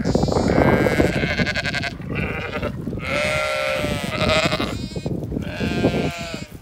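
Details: Zwartbles sheep on an Irish farm in County Kilkenny calling as they rush to their evening meal; several long tremulous bleats overlap, some higher and some deeper, with hoof and rustling noise throughout.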